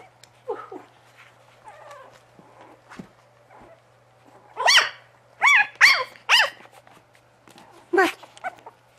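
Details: Bugg puppies giving quiet whines and snuffles, then a burst of four loud, sharp, high-pitched barks in under two seconds, and one more bark a moment later.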